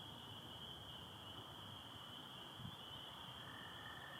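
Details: A dense chorus of spring peepers, high piercing peeps blending into a steady shrill ring, with American toads, recorded in Michigan on 24 April 2025 at night under stars with some overcast.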